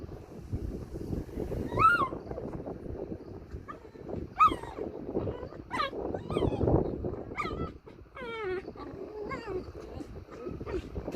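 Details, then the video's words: Puppy Pashmak, one month old, at play with a four-month-old puppy: short sharp yelps and squeals, then a quick run of wavering whimpers near the end, with rustling and soft thumps throughout. "1 month old puppy making cute sounds while playing with 4 months old puppy"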